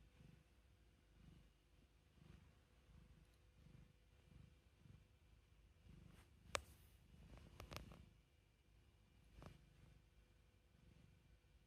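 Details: A handsome house cat at home, purring very softly: slow, steady low throbs about every 0.8 seconds in a quiet room, broken midway by a few sharp clicks and rustling handling noises.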